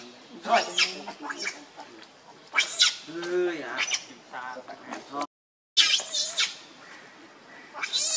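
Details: Hungry baby monkey named Leo Rainbow crying and begging its mother for milk: loud, shrill, harmonic wails in repeated bursts, some rising and falling, with a brief break before more high-pitched squealing cries.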